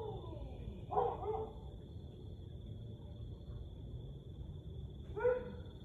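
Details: Siberian Husky howling at 1:49 am on 30 May 2021: two short, falling, harmonic howls about four seconds apart, the second sliding down, over a low rumble and a thin steady high whine.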